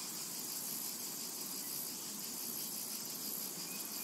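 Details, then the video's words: A continuous, even, high buzzing of cicadas across a summer meadow, steady in loudness throughout, with only a faint thin whistle near the end. "Summertime and Cicada Ambience"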